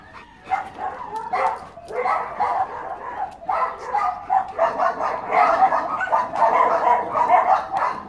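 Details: Rubio, a white Labrador mix, gives a run of short, sharp barks and yips in irregular bursts, roughly seventy-odd per minute, growing denser and louder toward the end.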